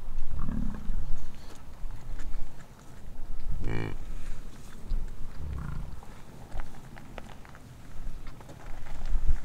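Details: An American bison bellows during the rut on Durham Ranch in Wright, Wyoming: a lion-like, deep rumbling roar rising into a short harmonic groan.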